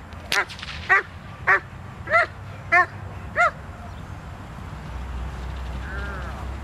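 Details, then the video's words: Doberman Pinscher Zita in protection training, November 2009: six loud barks about every half second, then silence with low background noise and a faint distant call. "Doberman Pinscher "Zita" Protection"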